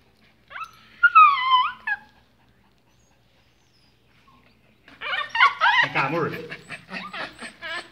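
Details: Pet pinschers fussing as leashes are put on for a walk, giving a high, wavering whine of falling tones, a short pause, then a burst of excited yelps and squeals mixed with a person calling them over.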